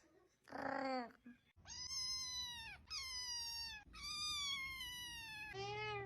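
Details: Cat giving a run of long, drawn-out meows, clear and harmonic with a slight falling pitch at each end, about one per second, in a quiet room.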